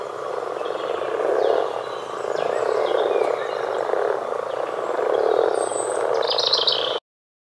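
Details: Common frog croaking: low, grating croaks that swell in a steady, throbbing stream of pulses, with louder bursts every second or two. A few faint, high chirps and a brief squeak come in near the end before an abrupt cut.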